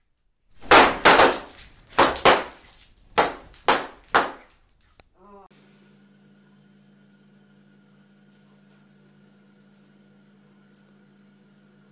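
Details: Six loud cap-gun-like bangs burst in quick pairs, then give way to a steady low electrical drone with no animal sound.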